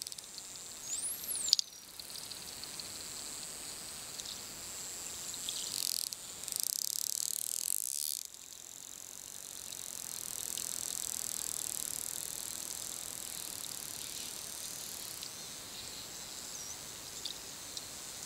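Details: Wild bottlenose dolphin gives a high, sweeping whistle over a steady hiss, then bursts of broadband clicking.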